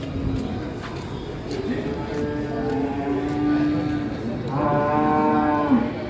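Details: Rampaging sacrificial cow gives a drawn-out, low moo that rises in strength over several seconds and ends with a brief upward break, over a steady hum of background noise.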